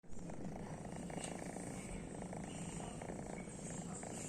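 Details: Domestic cat snoring while asleep: a soft, steady, low rumbling with fine rapid pulsing that runs unbroken through the whole stretch, faint hiss behind it.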